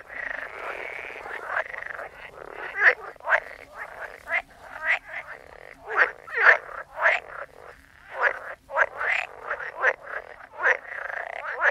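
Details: Frogs croaking together: dense run of brief, clipped croaks repeated rapidly, several voices overlapping over a low hum of further calling frogs.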